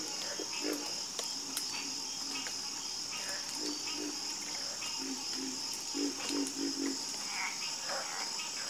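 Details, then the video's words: Frogs calling in a night chorus: short, low croaks scattered irregularly, bunching into a quick run of four near the end, over a constant high, shrill insect drone. "Calming Sound Of Harmonious Frog Croaking"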